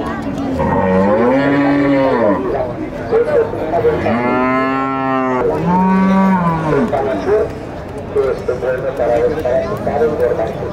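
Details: Bulls at a cattle market in Nueva Guadalupe, El Salvador, moo several times in a row: loud drawn-out bellows, some rising then falling, with people talking and market noise in the background.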